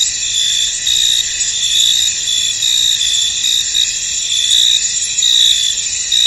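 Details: Crickets in a misty, foggy field: a dense, unbroken chorus of shrill, high-pitched chirping, several layered tones pulsing gently with no pause and no other clear sounds.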